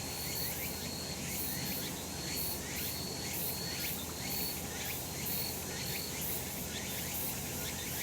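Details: Summer mountain cicadas in sunshine: rapid buzzy pulses repeat about once a second, each with a thin whistled tone laid over a constant high insect hiss and a low background hum.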